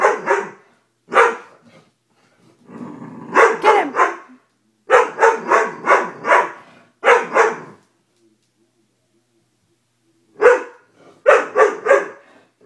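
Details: A Dobermann puppy afraid of a stuffed toy barks in clustered bursts with a faint growling undertone in one run. Longer silent stretches break up the sharp, repeated yaps.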